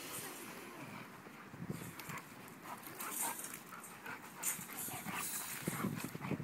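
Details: Female Rottweiler and male golden retriever playing with each other: low, rough, rumbling growls come in irregular bursts, mixed with scuffling and rustling.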